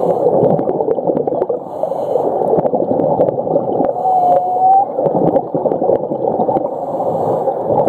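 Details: Underwater whale call off Ningaloo Reef in Western Australia: one thin, steady whistle-like tone of under a second, dipping slightly and then lifting, almost buried in constant gurgling, crackling water noise with sharp ticks.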